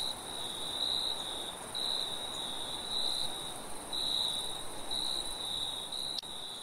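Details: Crickets in a forest at night: a steady high chirping band broken into pulsed bursts about once a second, over a continuous thin higher-pitched insect trill and soft rushing wind.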